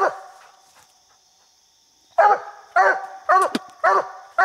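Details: Coonhound Bandit treed on a raccoon while coon hunting; a fading bark, two seconds of quiet, then four rapid barks with a sharp click between them.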